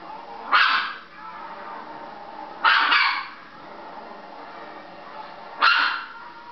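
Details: A female Chihuahua watching other dogs on television barks three times, sharp loud single barks spaced about two to three seconds apart, over a low background of television sound.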